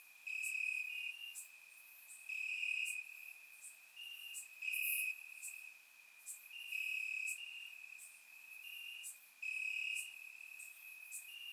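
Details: Night-time cricket chorus from grassland in Bulgaria on a warm summer evening, surround-recorded; a constant shrill trill broken by loud pulsed chirps roughly every two seconds, other crickets layered behind.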